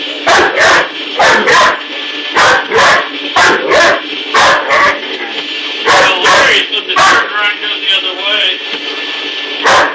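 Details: Indoor scene of a Great Dane puppy confronting a vacuum cleaner powerhead in use, apparently as a new enemy; rapid run of sharp, high yapping barks, over a dozen in ten seconds, against a constant machine hum.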